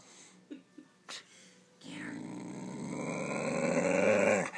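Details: A dog wearing a cone, acting aggressive indoors, lets out a rough, rumbling growl that swells steadily louder over about three seconds, following a few brief human voice sounds.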